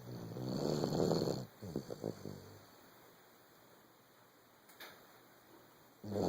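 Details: A sleeping 14-month-old Vizsla (dog) (Canis familiaris) snores: a deep, rasping, rumbling breath followed by a few short snorts.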